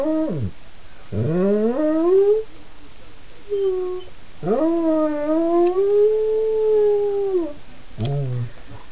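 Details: A male Belgian Tervuren howls like a wolf in long, wavering tones that rise and hold, broken by short yelps.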